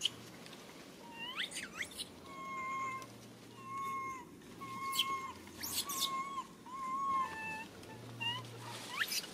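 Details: Crying little monkey calling for its mother: repeated short, tonal wails, some swooping upward and some level with a downward fall, in uneven bursts about once a second, with squeaky upsweeps between them and a low steady hum.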